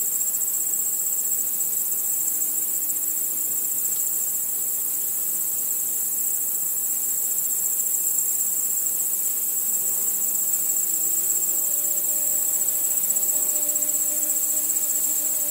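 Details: Nighttime crickets in a continuous shrill chorus of rapid high pulses at an even level, joined in the second half by faint low humming tones.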